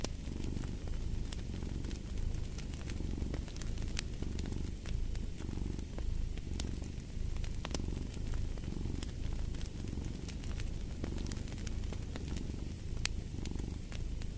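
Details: Domestic cat purring continuously next to a fire: a low, throbbing rumble in even in-and-out cycles of about one second, with scattered crackling pops from the fireplace throughout.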